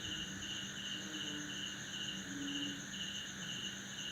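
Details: Crickets in a backyard in Banda Aceh, Indonesia, at midnight after heavy December rain, males chirping with their wings to draw females. Quick evenly spaced chirps sound over a shrill continuous insect hum, with a couple of brief low croaks from frogs.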